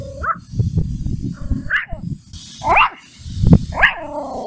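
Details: A puppy named Mimi barks angrily at a stranger. Four short, high, rising yaps come roughly one second apart, set against a steady low rumble.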